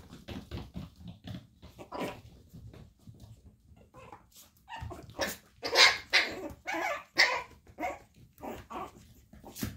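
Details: Chihuahua puppies, brother and sister, yapping in a jumble of short high barks that grow louder and denser in the second half, roughly one burst a second, mixed with rustling and nearby human voices.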